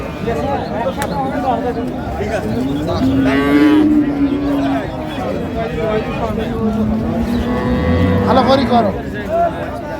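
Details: Improved-breed dairy cows and calves at Ambari haat cattle market, 2/3/25: several overlapping moos, one wavering call mid-clip and another near the end, buried in constant crowd and market noise.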